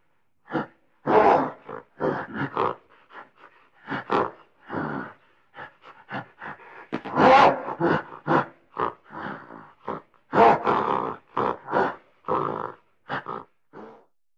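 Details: Long sequence of gorilla grumbling out of frustration, dense clusters of gruff grunts rising and falling in loudness, short clipped huffs between heavier roaring bursts, no background noise.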